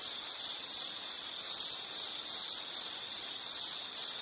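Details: An insect in a relaxing nature soundscape gives a piercing high trill in rapid pulsed bursts, with a couple of brief dips near two and three and a half seconds.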